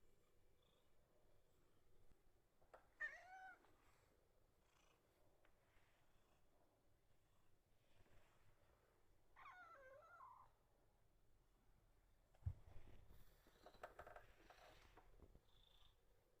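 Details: Rescued calico cat making soft, coaxing meows indoors: two separate wavering, bending mews several seconds apart, quiet, with faint low background hum and a brief rustle of movement near the end.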